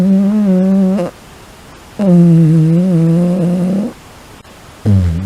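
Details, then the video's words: Shiba Inu asleep, letting out repeated fart-like snores: steady low hums lasting one to two seconds, one drifting slightly upward at its end, with brief silences between each snore. "おならのようないびきを連発する柴ワンコ A Shiba Inu that snores like a fart"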